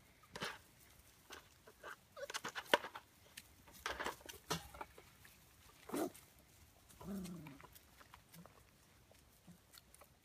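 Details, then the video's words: Belgian Malinois puppies, five weeks old, from a kennel litter of eleven (five males, six females) born 18 June 2015, waiting to rejoin their mother for a midday feed; a brief descending whine stands out amid scattered clicks, scuffling and patter. "chiots malinois 5 semaines"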